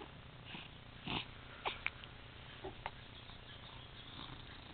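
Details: Overweight tabby cat making weird noises: short breathy snorts and sniffing bursts, with a few clustered near the middle, over a soft low purr-like rumble.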